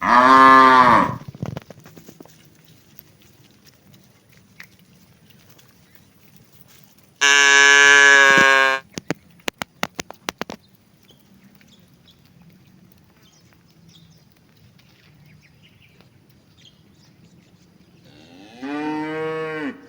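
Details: Cattle herd, thirsty during hot weather, with three drawn-out lowing moos spaced several seconds apart: one at the start, one in the middle followed by a few sharp clicks, and a rising one at the end.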